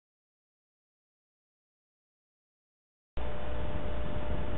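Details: Three seconds of silence followed by broadband static noise, with no animal sound.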